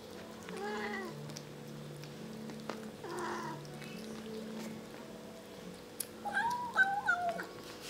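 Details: Several kittens eating and talking to each other, giving short harmonic meows around one and six seconds, then a louder run of high, wavering, rising-and-falling mews near the end, over a steady low hum and faint clicks of eating.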